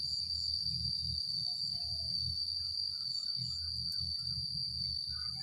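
A cicada gives a continuous, piercing, even buzz that never wavers or pauses. Faint low rumble sits underneath, with a few soft, brief chirps in the background.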